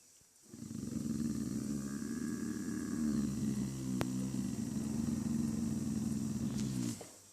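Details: A dog making a weird noise: a steady, low, rumbling groan held for about six seconds, rough and throaty, with faint background hum throughout.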